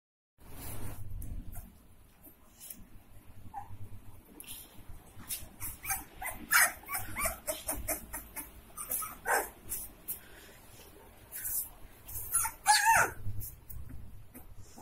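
Saint Bernard puppies bark and yip in short, irregular bursts, with an occasional higher whine.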